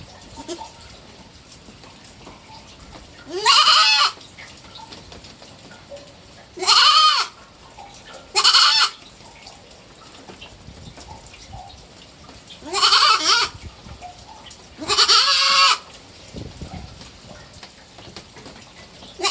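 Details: Pet goat kid, three months old, giving five strained, quavering bleats at irregular intervals of two to four seconds, with faint rustling between calls.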